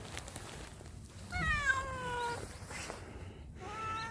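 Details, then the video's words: After a dog took its snack, a mother cat from a Yangpyeong hillside home in South Korea gives a long, wavering, descending meow followed by a second shorter meow, with light background music and rustling. "강아지에게 간식 뺏긴 고양이의 반응"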